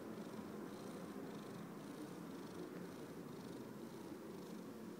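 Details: Domestic cat purring steadily, a continuous low rumbling throb with faint rhythmic pulsing through the whole stretch, close and even in loudness.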